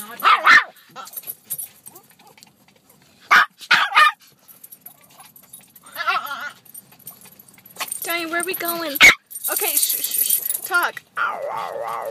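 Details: Donovan, a pet dog that loves to talk, gives a few short sharp noises, then warbling, wobbly whine-like utterances later on, with a person's voice talking to him in between.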